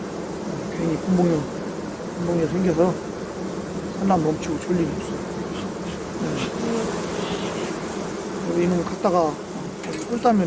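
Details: Continuous low, droning hum of a honey bee colony throughout a hive inspection at an apiary, with brief bursts of a man talking layered intermittently over the constant buzzing.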